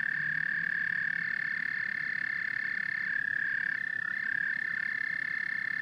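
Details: Massed frog and toad calls: a sustained piercing trill layered with several voices, and deep guttural croaks heard during the first second.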